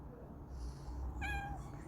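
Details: Domestic cats, several huddled together, with one short, rising-then-level meow in the middle, surrounded by a person talking softly and low background rumble.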